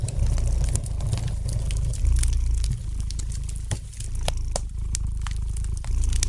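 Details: Domestic cat purring by a fireplace: a deep, steady rumble in slow breathing cycles of roughly two seconds, with frequent sharp crackles and pops from the fire on top.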